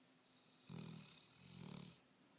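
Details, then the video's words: Sleeping Bullmastiff snoring; two low, throaty rumbling breaths close together, each a drawn-out grating snore, with a faint hum behind. "Snoring Bullmasiff"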